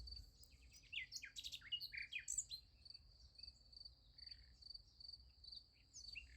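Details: Crickets at night beside a sunflower field, a steady high pulsing trill running throughout, overlaid by louder sharp twittering bird calls in the first few seconds and scattered chirps later.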